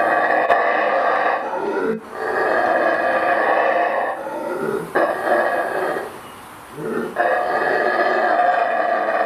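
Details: Saraguate, the mantled howler monkey of Central American rainforest. Long, rasping roars run in three or four drawn-out bouts, each separated by a short breath-like pause and a lower grunting lead-in.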